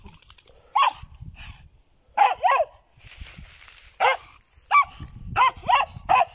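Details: German Jagdterrier barking: sharp, harmonic yelps in quick pairs and singles, about nine barks over six seconds, with a burst of broadband noise between them and faint low rumble beneath.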